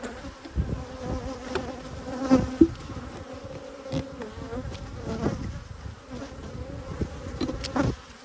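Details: Honey bees at a hive during yellow and black hive inspections on 19 March 2022, recorded close up: a steady low droning buzz with a fainter higher overtone, broken by scattered sharp clicks and knocks from hive handling.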